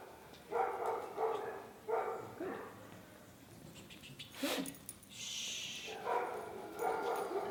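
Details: Leash-reactive terrier mix barking indoors at another dog brought into the room during a training session, barking from fear or insecurity; sharp barks in small bursts at irregular intervals, with a clatter and hiss in the room between them.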